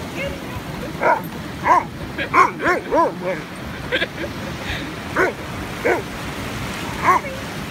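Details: Afghan Hound named Boomboom on a beach, letting out a run of short, high, arched yelping barks at uneven intervals, with a person laughing and talking between them.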